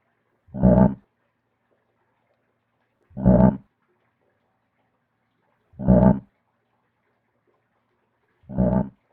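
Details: A frog giving four deep, low, throaty croaks, each about half a second long, repeated evenly roughly every two and a half seconds against complete silence, with no other sounds.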